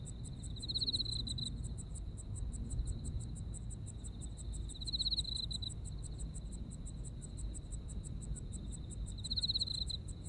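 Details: Japanese autumn insects call together: a fine, constant shrill tone plus fast ticking chirps. Three stronger buzzy trill phrases recur roughly every four to five seconds against a dull low hum.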